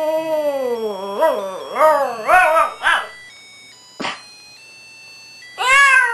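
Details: Two female Shih Tzus howl in wavering, rising and falling notes, one singing along with the other, to Christmas music playing in the background.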